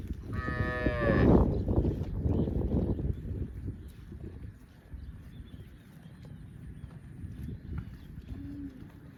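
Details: A cow gives one loud, drawn-out moo with rich harmonics lasting about a second, followed by low rumbling background noise and a faint short second call near the end.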